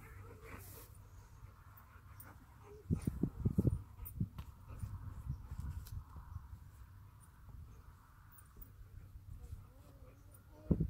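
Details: Pair of Alaskan Malamutes play fighting at Camber Sands in 2018 in warm weather: a quiet start, then a burst of gruff growls and snorts around three to four seconds, softer grumbling after, and a sharp sound at the end.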